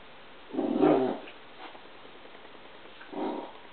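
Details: A 21-week-old Pit Bull puppy at play, making two short, rough growling bursts. The first lasts under a second, and a briefer one follows about two seconds later against a quiet background.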